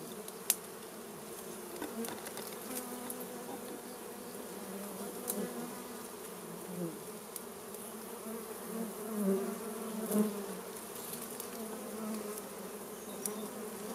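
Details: Honey bees driven from their hive by smoke from a small fire for honey gathering; a constant low buzz that swells louder near the end, punctuated by a few crisp clicks.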